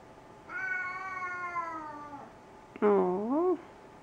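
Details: A cat meowing because it wants dinner, indoors: a long drawn-out harmonic meow held for almost two seconds and slowly falling, then a shorter, louder meow that dips and rises in a wavering curve.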